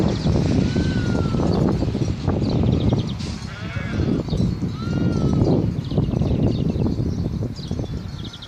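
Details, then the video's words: Sheep on Mallorca, recorded 24 April 2018, making funny noises: wavering, quavering bleats at about three and a half and eight seconds over a heavy low rumble of wind or handling noise, with a few thin whistled tones around one and five seconds. "Sheep making funny noises Овцы смешно бекают"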